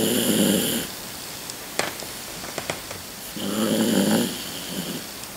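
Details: Old Toy Poodle Rocky, 16 years old, snoring while asleep at home; two rough, humming snore breaths about three seconds apart, with a few soft clicks and taps heard in the quiet between them.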